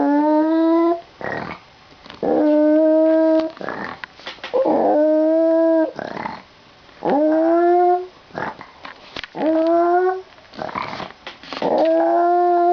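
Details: A dog gives repeated drawn-out, wavering howls with a whining, singing tone just before its owner leaves for school.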